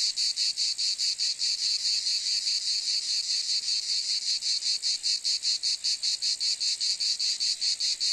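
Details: Cicadas making a continuous high-pitched buzzing, throbbing in even pulses about 150 times a minute, constant in volume, no other animals or background noise.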